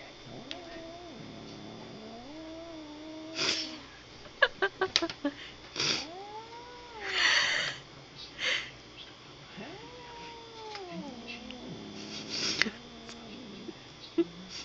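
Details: Badger, a domestic cat sitting in a bag and annoyed by Bagheera, another cat who keeps trying to play with her, gives drawn-out wavering yowls that rise and fall, with rustling and bursts of noise between them and a person speaking.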